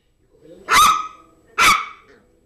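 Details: Yorkshire terrier called Zizel playing with a new mouse toy, two loud, strong barks just under a second apart, each trailing off briefly.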